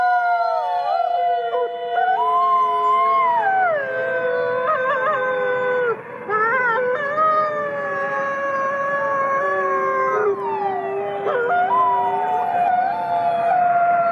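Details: Chorus of captive gray wolves, thirty-three in all, at the Wolf Conservation Center, South Salem, New York: many overlapping howls that waver, break and slide up and down in pitch, forming a dense, continuous chorus throughout.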